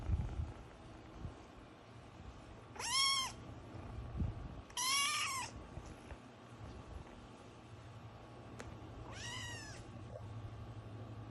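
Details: Young kitten, eight weeks old, just starting to meow: three short, clear, high meows spaced a few seconds apart, each arching up then dropping, over a low steady room hum with small handling noises.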